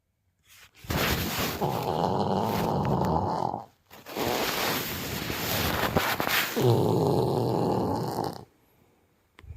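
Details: Siberian tiger cub asleep in a zoo, snoring: long rough rasping breaths, each several seconds, with a rattling flutter, separated by brief quiet gaps.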